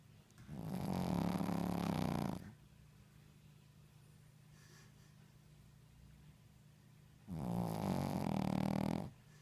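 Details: A Shih Tzu snores loudly while sleeping, each long rattling breath separated by a quiet pause.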